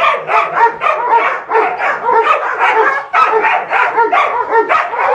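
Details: Two six-month-old female Dobermanns barking: rapid, overlapping, yappy barks in a nearly continuous stream lasting about five seconds.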